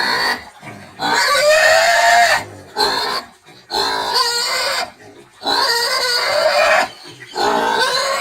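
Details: Screaming of a medium-sized, hairless domestic pig bred for both meat and lard under field conditions: long piercing squeals of about a second or more, harmonically rich and slightly rising, with short silent pauses between.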